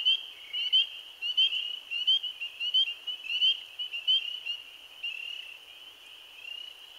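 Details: The first spring peeper chorus of the season, on 15 April 2013, is a dense chorus of many high, rising peeps overlapping into a steady shrill ring.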